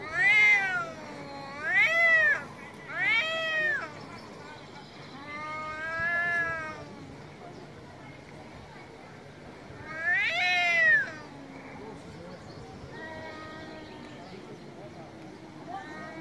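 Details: Angry cats meowing loudly, several short rising-falling meows in a burst, then a long sustained wail, a pause and another sharp meow, with faint talking between them.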